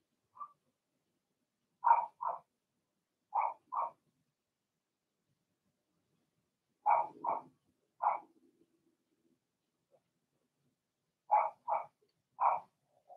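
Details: Blenheim Cavalier King Charles Spaniel puppies, Remy's first litter of two girls and four boys, barking in their puppy pen: about a dozen quick, high yips in pairs and triplets, with a brief low rumble midway.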